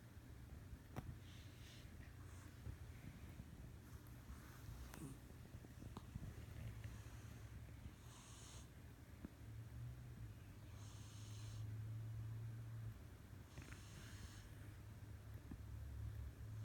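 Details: A pet cat sleeping and dreaming, snoring loudly indoors: soft breathy rasping bursts recur roughly every three seconds over a steady low hum, with no other clear sounds.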